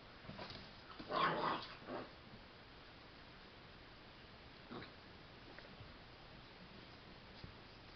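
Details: Max, a boxer dog, indoors with Mr. Bigglesworth, gives one short, loud, rough vocal burst about a second in, followed by a softer grunt, then quiet room sounds with a faint thud near the end.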